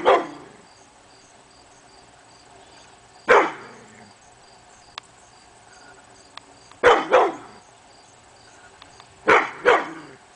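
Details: Morning barking from Hemi Bleu, a male pit bull, on August 22, 2012, apparently at nothing: a single bark, then paired barks in quick succession, separated by quiet stretches of a few seconds, over a low constant hum.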